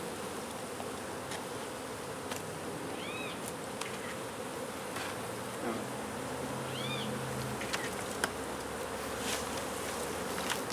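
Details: Honey bee colony disturbed while its hive is removed from beneath a wood pile in McAllen, Texas; a thick, constant buzzing hum fills the recording while two brief arched bird chirps and scattered clicks sit on top.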